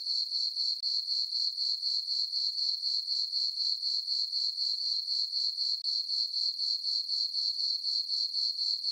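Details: High, tinkling cricket chirps from a farm meadow on a full-moon summer night, pulsing steadily at about four per second with two brief dips in volume, otherwise a uniform, uninterrupted chorus.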